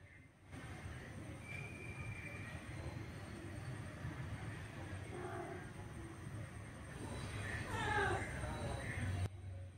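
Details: Orange male cat forcefully pursuing a female cat to mate: a brief high cry, then a wavering, sweeping harmonic wail near the end, against a constant low rumbling background.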